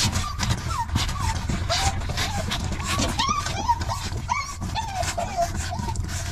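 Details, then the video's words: Hungry puppies squabbling over milk give a busy stream of high, arched whining squeals, each rising then falling, overlapping one another about every half second above a steady low rumble and scattered clicks. "Hungry puppies fighting over milk"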